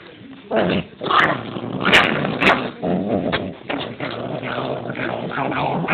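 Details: Chihuahua described as vicious, growling steadily with a rough, rumbling voice, broken by a few sharper snarling bursts and short yaps; no other sounds stand out.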